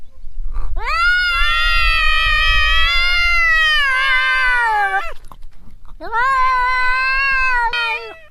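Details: Cat meowing to attract other cats: two long, level, nasal meows, the first about four seconds and the second shorter after a pause, with low rumbling background noise.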